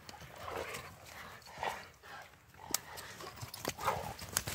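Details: Pair of Rottweilers at friendly play during a morning walk, giving several brief, harsh growl-like grunts spaced a second or so apart, mixed with rustling movement and scuffling steps.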